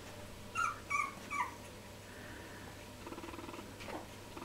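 Three-week-old Jack Russell Terrier puppies give high, thin squeaking whimpers, then softer grumbling sounds.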